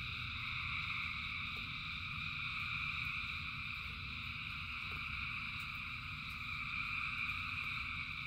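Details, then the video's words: Frogs calling in rain, a massed chorus of thousands that merges into an even, shimmering drone of high trills, over a steady low rushing background with a few soft ticks. "Frogs in Rain 2 Hours of Frogs, Thousands of Frogs Singing"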